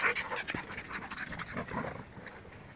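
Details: Short burst of dog panting: quick, breathy huffs repeating irregularly, loudest at the start and fading slightly, no other clear sounds.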